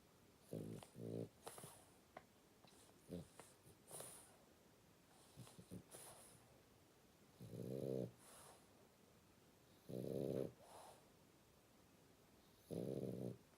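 A French Bulldog puppy snores in rough, rattling bursts, each breath a buzzy snort.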